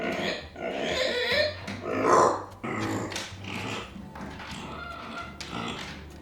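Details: Pet micro pig Arya protests being left behind with rough grunting squeals, loudest around two seconds in, fading to quieter snorts and grunts toward the end; constant low hum in the background.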